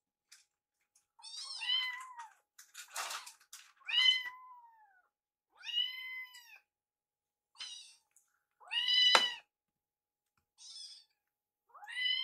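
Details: Rescued baby kittens at mealtime, Yuki curious about Piyo's food; high arched meows with stacked harmonics, repeated about every few seconds, mixed with short clicks and clatter from eating.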